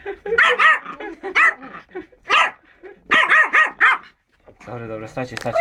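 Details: A Yorkshire Terrier gives quick, high-pitched yapping barks in short bursts at its first meeting with a bunny, with a person's voice nearby.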